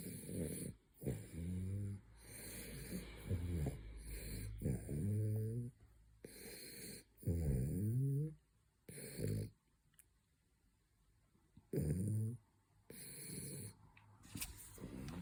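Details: A French Bulldog snoring during his third midday nap: deep, rattling, buzzy snores, some drawn out with a wavering pitch, coming every few seconds, interrupted by snorting breaths and short quiet gaps.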